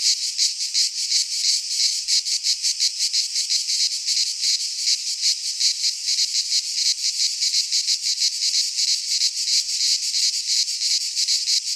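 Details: Cicadas of the Greek fauna singing in midsummer pine forest, a piercing continuous buzz made of rapid pulses, nearly three per second, steady and even without pause or other sounds.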